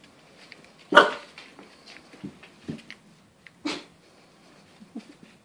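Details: English bulldog puppies, in-home pets in lower Western Michigan, letting out a loud sharp bark followed by a second, softer bark a few seconds later, with quiet shuffling and small noises in between.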